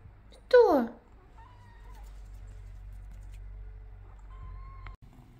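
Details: Kitten indoors giving one loud, sharp meow that drops steeply in pitch within half a second, followed by quieter sustained tonal sounds and low room hum.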